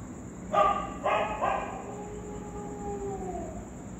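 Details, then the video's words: Street dogs reacting to a ghost sound: three quick barks, then a long smooth whining tone gliding gently downward and fading, with a thin constant high hum behind. "Street Dogs reaction to a GHOST Sound"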